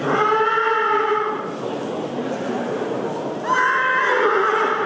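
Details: Belgian Draft Horse among two-year-old stallions (30 months) at the 2018 central stallion inspection in Ghlin (Mons), Belgium, on 24 November; a long, steady, harmonic-rich neigh of about one and a half seconds, then a second loud neigh begins after a brief lull.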